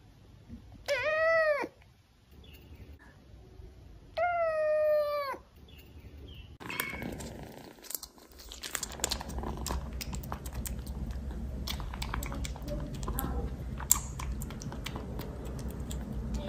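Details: Close-up of domestic kittens: two drawn-out, arching meows near one and four and a half seconds, each rising then falling, followed by steady rustling and crinkling noise indoors for the rest.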